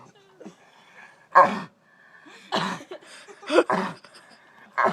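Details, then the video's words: Dog producing strange noises that seem like it is about to vomit but does not; four harsh noisy heaving bursts separated by quiet gaps of about a second, with soft background sounds between. "Dog makes strange noises"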